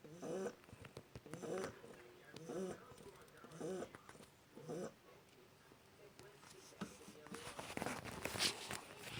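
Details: One-month-old Shar Pei puppy snoring: rough, snorting breaths in soft bursts about once a second for the first five seconds, then quieter breathing and a rise of rustling, scratchy noise toward the end.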